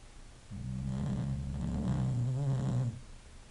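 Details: Sleeping English bulldog giving a drawn-out, deep snore of roughly two and a half seconds, a vibrating, gravelly rumble that rises slightly partway through and stops sharply, heard against near silence.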